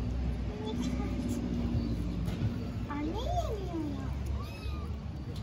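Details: Starving homeless kittens living on the street in Istanbul meow for their mother cat: a high, arched, rising-then-falling meow stands out midway, with fainter cries around it over a steady low urban hum.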